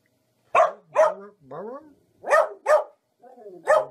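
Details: Dogs barking happily for fun: sharp single barks in pairs, with softer whining, sliding sounds in between.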